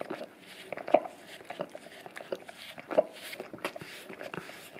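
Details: English cream golden retriever, a male, licking a peanut-butter-covered Orapup tongue-cleaning brush taped to a tile floor indoors; wet, smacking lick sounds in irregular bursts, roughly every two seconds, in a small room.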